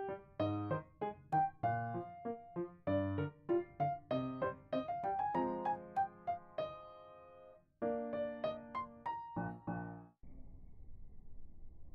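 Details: Piano or electric keyboard music fills the recording, with repeated struck notes and sustained chords. No bark or other animal sound can be picked out.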